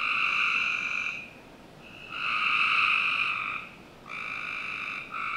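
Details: Summer-night frogs in a Northern Virginia backyard give long, even, droning trills lasting about a second or more each, with brief pauses and overlapping voices near the end.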